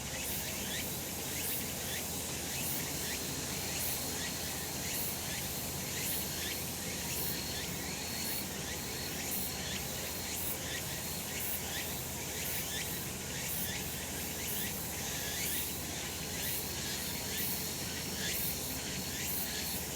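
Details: A sustained chorus of cicadas on a sun-drenched summer mountain: an unbroken, sizzling high-pitched buzz beating in regular pulses about every second, over a constant low rumble.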